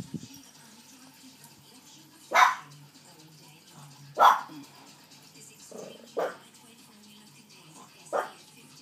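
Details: Maltese Shih Tzu guard dog barking while guarding: five sharp, bright barks spaced one to two seconds apart, strongest near two and four seconds, over a quiet indoor background with faint speech.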